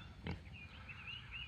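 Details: Single short, rough grunt from a pig in a pen beside a campsite field at a farm in McCloud, Oklahoma, heard at 5 a.m.; thin whistled bird notes and faint rooster sounds continue in the background.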